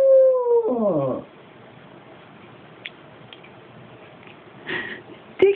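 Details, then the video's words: Staffordshire Bull Terrier crossed with American Pit Bull Terrier howling, unedited: a sustained tonal howl drops in pitch and breaks into wavering falling notes, followed by a quiet stretch with faint knocks and brief voices. "Staffy cross American pit howling like a werewolf"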